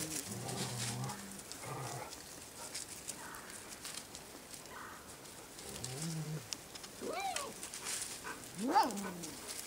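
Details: Six-week-old white English Cream Golden Retriever puppies give short, high whines and yelps that arch up and fall away.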